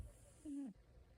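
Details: A sleeping cat lets out one short, soft, steady-pitched murmur lasting about a quarter second and dropping slightly at the end, set against a quiet room hiss.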